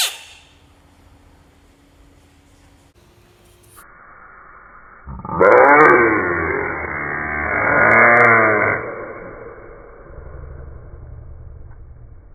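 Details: A small bullfrog, described as bravely protecting money and defending itself, gives two loud, harsh, drawn-out screams with wavering, buzzy harmonics. The first runs about two seconds and the second swells a moment later. A faint low hum lies underneath.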